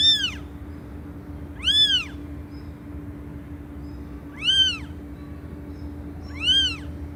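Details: Four loud cat meows, short arched calls that climb and fall, spaced about two seconds apart with quiet gaps, a steady low hum running throughout.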